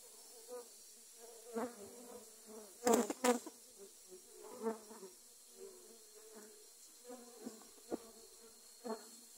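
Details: Defensive dwarf honey bees attacking after grass cutting, gathered around the camera: a persistent low buzzing drone with repeated brief louder passes, about three per second, and two sharp crackling bursts midway.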